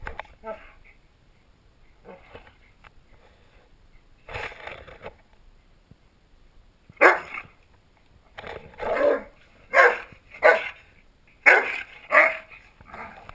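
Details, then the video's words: Two pet dogs, Willow the Shetland Sheepdog and Forrest the Rhodesian Ridgeback, horseplaying and play-fighting, recorded on a GoPro; harsh, broadband barks and growly bursts come in a quick run of about seven over the last six seconds, after a few quieter ones. "Willow (the sheltie) & Forrest (the rhodesian ridgeback) Horseplaying Dog Style!"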